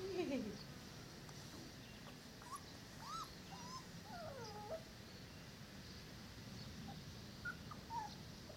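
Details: Four-week-old Dogo Canario puppies whining in scattered, thin, wavering whimpers, some curling upward and down, spread across the recording with quiet voices and low rumbling in the background.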